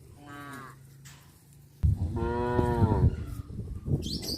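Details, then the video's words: Cattle in the countryside give a short soft moo, then a louder, longer harmonic moo lasting over a second, over a rumbling low background. "The sound of cute cows-moo"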